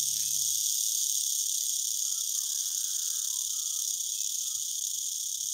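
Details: Rattlesnake giving a warning rattle: a continuous, even, high hissing buzz that holds steady throughout without pause, with faint low rustling beneath.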